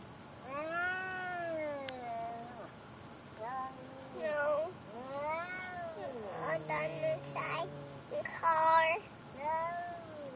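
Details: A vocal male pet cat, angered by a car ride to the vet: a series of long, rising-and-falling wailing meows, several in succession, with a person talking and car noise in the background.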